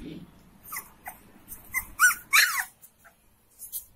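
Young Saint Bernard puppies bark in thin, high-pitched yips, each one brief and slightly arched in pitch. The barks come in irregular clusters, several voices overlapping now and then, with soft whimpering notes between.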